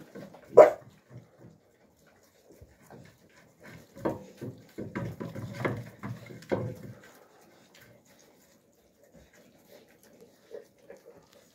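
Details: Young Central Asian Shepherd Dog (Alabai) puppies in winter 2023, indoors: one sharp bark, then a cluster of rough, overlapping yelps and scuffling between four and seven seconds, followed by faint soft whimpers in a quiet room.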